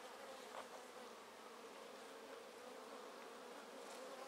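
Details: Honey bee colony in a top bar hive, untreated for Varroa for over two seasons, being split with queen cells on one side: steady dense buzzing hum with a sustained low drone throughout.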